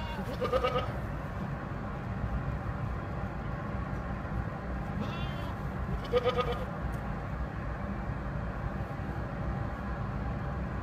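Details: Goat bleating twice, each a brief quavering, nasal cry about six seconds apart, with a softer bleat just before the second; a constant low traffic rumble fills the background.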